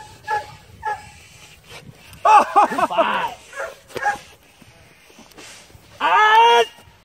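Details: Belgian Malinois police dog in attack training, giving a few loud harsh barks in short bursts near the start and one longer bark near the end, between a handler's spoken commands and quieter background noise.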